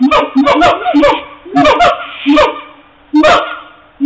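Siamangs give loud, honking barks in quick bursts, each a harsh nasal note repeated several times.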